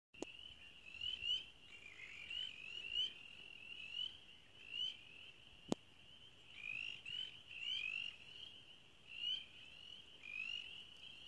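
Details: A dense springtime frog chorus at Zaepfel Nature Center, with high trilling calls and louder chirps rising in bursts every second or two.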